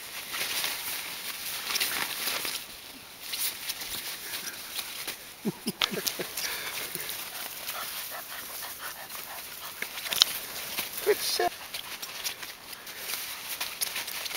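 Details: Litter of 31-day-old puppies, the D litter of Abintu Gesha van 't Brökske and Chien-D'or Shanuy de Damacan, giving short wavering whimpers mid-way and again near the end, over steady rustling and scrabbling.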